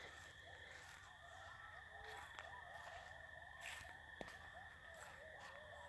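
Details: Coyotes calling excitedly at night, a chorus of wavering, squealing yips and short howls at a distance, over a steady high electronic hum and occasional clicks.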